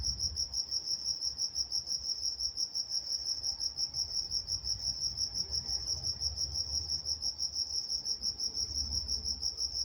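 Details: Crickets at night in Walnut, California, chirping steadily in a high, even band, pulses repeating about three times a second without pause, with a faint higher overtone and soft low rumble beneath.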